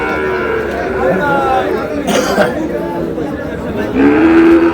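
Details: At a busy Brahmanbaria cattle market in Bangladesh, a Sahiwal bull gives a brief rising moo near the end, after several seconds of crowd noise and voices.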